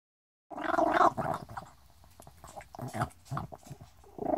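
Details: Chippie, a little Chihuahua, growling and breathing at the same time: rough, gargling growls come in uneven bursts, loudest in the first second, then fainter broken rumbles with short breaths between them.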